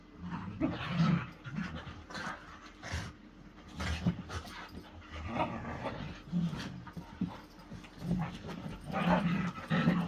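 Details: Pet whippets wrestling in play, giving low grumbling growls mixed with quick panting breaths and snorts, with the scuffling noise of their tussle continuing throughout.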